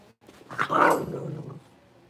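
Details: One Blenheim Cavalier King Charles Spaniel puppy from a litter of five born at New Year's, newly moved to a big pen, gives a single loud, rough bark that swells and then fades.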